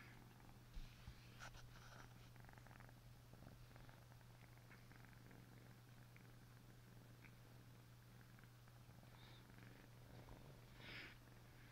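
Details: An Asian leopard cat gives a deep, even purr that holds at one low pitch without a break, with soft clicks and faint rustling above the rumble.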